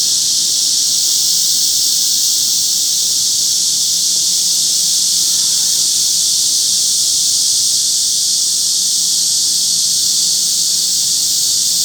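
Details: Summer chorus of cicadas mixed with wart-biters in Forsythia Park, Shinsa, Seoul, Korea, on a hot morning around 10:50 on 26 July 2025; a dense, steady, hissing high-pitched drone holds without pause throughout, with a faint low hum beneath.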